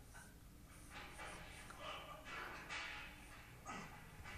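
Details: Hostile Bengal cat called Spooky facing a neighbour's Persian cat through a window; a run of short, strained, wavering yowls and growly cries repeated quickly across a few seconds indoors.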